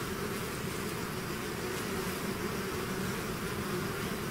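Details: Short stretch of a bee swarm out of its hive: an even, breathy buzzing hum with low droning tones and no other sounds.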